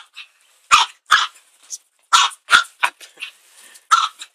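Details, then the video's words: Small Chihuahua yapping at a household broom, a run of quick high-pitched barks, several in close pairs with tiny whimpering yips in the gaps, irregular spacing. "Cute Chi barks to the broom"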